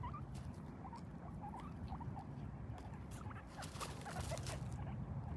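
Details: Guinea pig; chutting; contentment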